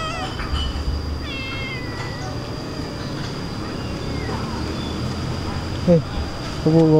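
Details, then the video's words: Feeding-time meows from excited cats at a dining table: a clear falling meow early on, then fainter calls, with background traffic drone and a person's Indonesian speech near the end. "Cute cats excited and starts talking when it reaches the dining table"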